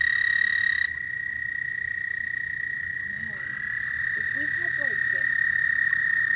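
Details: Frogs at night giving a sustained, shrill, unbroken trill. An overlapping trill cuts out after about a second, and soft human voices are heard in the background.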